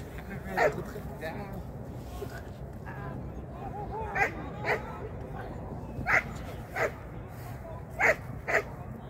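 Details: Shetland Sheepdog at a first training lesson in 2023, giving short sharp barks at irregular intervals, about seven over nine seconds, under steady background murmur with a person talking in between.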